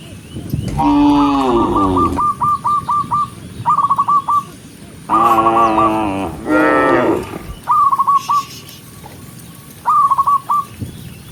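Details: Gentle cattle herded along a countryside path toward home at sunset, two long, loud moos rising then falling, separated by quiet gaps filled with rapid series of short whistled notes repeated in clusters.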